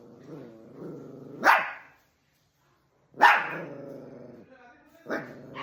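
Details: Dog in a fight with another dog, rumbling low growls breaking into a sudden harsh bark, then a long snarling growl, a pause, and another bark with growling.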